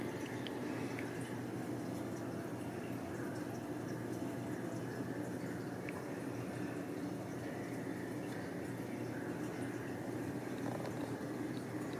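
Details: Steady rushing, liquid-like noise fills a small indoor room throughout, with no animal voice.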